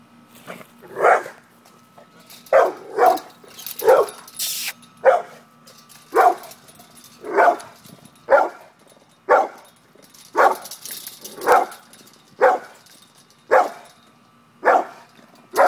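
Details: Pit bull barking while confronting a cat: short loud barks at irregular intervals, roughly one to two per second in bursts, some doubled, across the whole stretch, with faint room hum behind.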